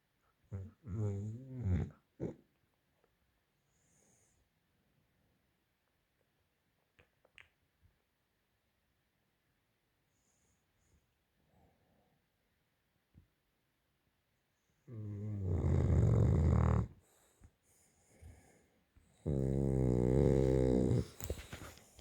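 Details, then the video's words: Sleeping British Bulldog snoring very loudly: rough, rasping snores in short bursts at first, then near silence with faint breaths, followed by two long, loud, buzzy snores of two to three seconds each. "British bull dog snore sooooo Loud"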